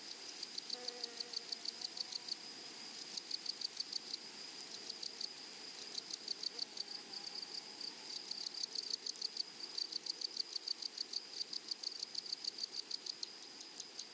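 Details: Meadow grasshoppers among flowers, giving rapid ticking bursts of high dry pulses, roughly three groups a second, in loose irregular runs above a constant shrill insect tone.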